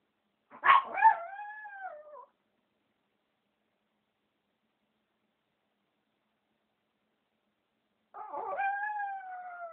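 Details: Female Chihuahua giving two drawn-out howls about six seconds apart, each starting with a sharp yelp and sliding into a steady, slightly falling tone.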